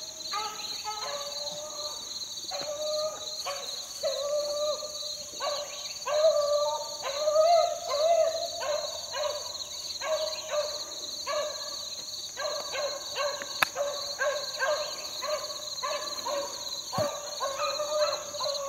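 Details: Young Beagle pups about four months old, worked in the field in 2013, give drawn-out, wavering bays. The mid-pitched howling notes repeat and overlap one another throughout, over a steady high whine and faint insect-like hiss.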